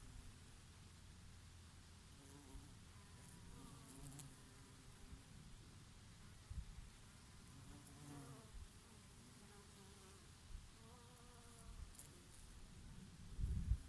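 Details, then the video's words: Summer bees working their favourite oregano flowers, with an occasional bumblebee: soft wavering hums drift in and out every few seconds, rising and falling as they fly past, beneath a dominant low breeze rumble and a brief louder gust near the end. "Peaceful sound of the summer breeze and of the Bees and here and there a bumblebee"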